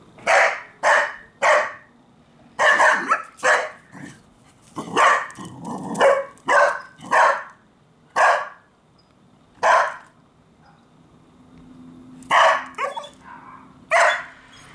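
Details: A female Cardigan Welsh Corgi, 1 year 11 months old, barks sharply in irregular bursts while chasing squirrels off her territory.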